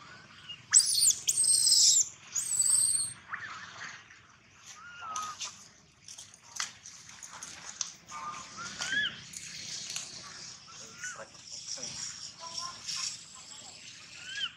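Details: Gino, a baby monkey, cries loudly, opening with a long piercing scream, then a run of shorter, rising squeaky wails and chirping whimpers repeated about once a second over light background rustle.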